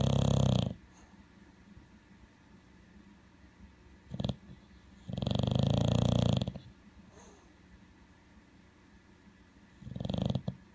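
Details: Sleeping male bulldog snoring, compared to an alligator: harsh, deep rattling snores of uneven length, a short snort, then a longer grating one about a second and a half long, with quiet breathing between.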